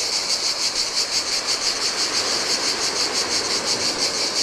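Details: Cicadas on a deserted Greek island shore by the Adriatic in the heat, a pulsing high-pitched buzz at a steady quick beat, with the broad rushing noise of breaking waves more prominent.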